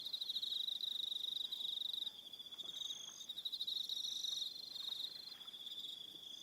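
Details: Evening cricket chorus from Aroha Island, New Zealand: rapid high-pitched pulsed trilling, loud at first, then a steadier thinner chirring from several insects continuing to the end.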